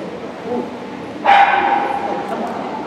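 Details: Labrador Retriever Yankee Goodwill Majoraska at an Obedience-1 trial, St Petersburg Cup, 11 February 2018: one sharp, loud bark with a ringing tone, echoing in an indoor hall over steady crowd murmur.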